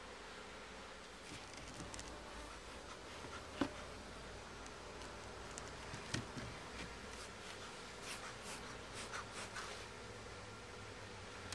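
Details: Steady humming of honey bees at their hive on a first inspection where some comb was found, with faint tonal bands under a hiss and scattered light knocks and rustles.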